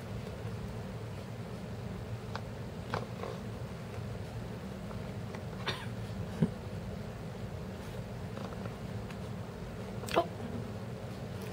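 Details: A rescue Egyptian Mau mix kitten on its first day home purrs in a low, steady rumble, with a few faint taps and clicks.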